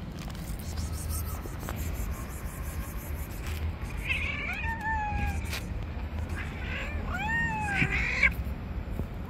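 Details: Street cats fighting within a white cat's territory, giving a few wavering, strained meows in the second half against a constant low urban hum.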